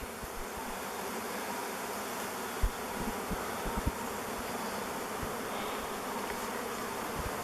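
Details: Thousands of honey bees in a flying swarm deciding on a new log hive; steady, even droning buzz fills the air, broken by a few soft thumps.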